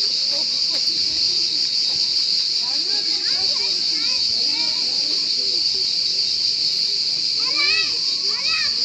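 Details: Cricket calling in a steady, unbroken high-pitched shrill trill that holds at an even level throughout, with faint human voices murmuring beneath it and a brief rising, child-like voice near the end.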